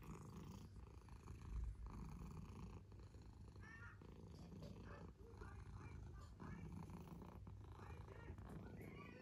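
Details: Domestic cat purring steadily, a deep continuous throbbing rumble that barely changes in loudness throughout, with faint rustles over it.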